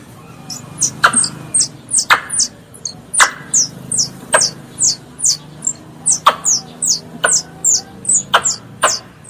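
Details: Squirrel calling to its mother with bright, piercing squeaks that fall in pitch, given in rapid uneven bursts of two or three. Occasional louder clicking notes join in over a quiet low background hum.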